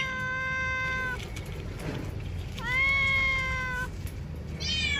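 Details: A cat calls from a bamboo tree while looking for food and drink, giving two long, steady, level meows about a second each, separated by a pause, then the start of a third.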